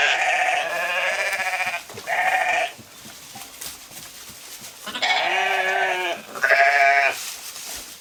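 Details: Sheep in the wild, grazing a field: repeated loud, quavering bleats in two clusters, each made of one or two calls of about a second, separated by a few seconds of quieter background.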